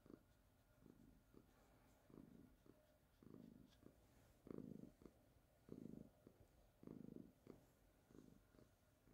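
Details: Baby, a calico cat, keeps up a gentle rhythmic purr. Rumbling pulses come roughly every second and grow stronger midway before easing off, with a faint hum and slight room noise.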